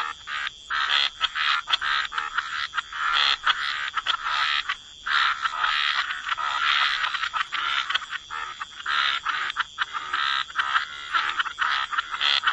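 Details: Chorus of frogs croaking at the water's edge in wetland, bursts of grating croaks from several callers rising and falling, with short quiet gaps between clusters.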